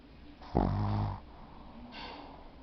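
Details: Yudi, a Shih Tzu pet dog, snoring: one loud, rough, rattling snore lasting under a second, followed by a softer breathy exhale about a second later.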